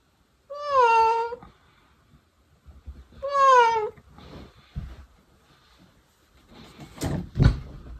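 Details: Indoor cat producing two wavering meows that rise then fall, a second apart, followed by soft shuffling and a couple of sharp clattering knocks.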